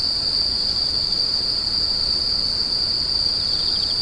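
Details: Insects give a continuous, even, high screeching hum, with a faint rapid chirp trill appearing only at the very end; faint low background noise underneath.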